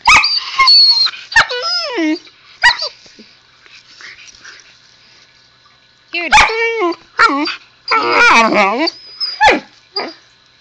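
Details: Husky puppy chattering at its owner: squeaky, wavering yips and whines in two bursts separated by a quiet stretch with faint movement noise, the later burst a cluster of rapid up-and-down yowls, followed by a woman's voice.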